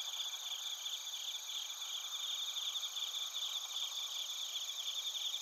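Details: A chorus of bell crickets and other crickets recorded in Narita, Chiba Prefecture, Japan: continuous high ringing trills layered in several pitches, with quick shimmering pulses and no break.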